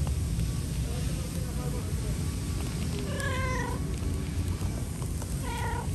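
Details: A cat begs for food with soft meows: faint low murmurs early on, then a clear falling meow in the middle and a shorter one near the end, all over a heavy low rumbling background noise.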